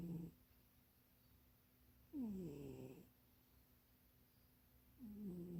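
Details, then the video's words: Sleeping cat Munchie snores in a cramped box, each snore a drawn-out, downward-gliding harmonic wheeze near a second long, repeating at a slow, steady breathing pace in a quiet room. "Munchie kitty snoring and dreaming"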